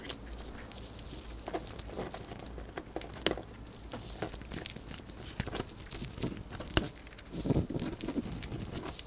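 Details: Close recording of a pet hamster, female, munching dried corn; crinkly, rustling crunches with scattered sharp cracks, a fuller low-pitched scraping burst near the end, soft background hum.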